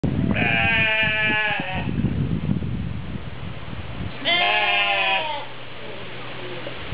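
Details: Goats at Opole Zoo in Poland: two loud, wavering, harmonic-rich bleats about three seconds apart, each over a second long, with crowd chatter and murmuring in the background.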